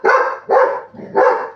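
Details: Buddy the pet Labrador Retriever, encouraged to get his father out of bed, barks three times in quick succession, broad husky barks with a brief low rumble between the second and third.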